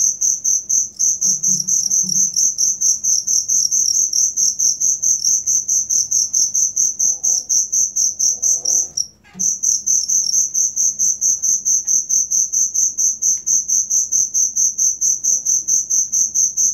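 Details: Cricket, kept as a tutor sound for songbirds, chirping loudly in steady high-pitched pulses about twice a second, with one brief pause near the middle; faint low rustling underneath.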